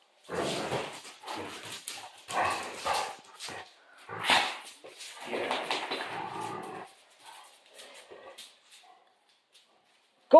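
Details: Central Asian Shepherd dogs playing at an off-grid cabin; a series of deep, rough barks and growly bursts, loud at first then fading to softer grumbles, with a person's voice urging them to play.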